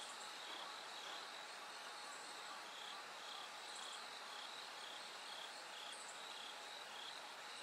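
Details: Bell crickets calling through the night toward first light. High ringing pulses repeat roughly twice per second against a steady wash of insect noise, with occasional sharper chirps from other insects.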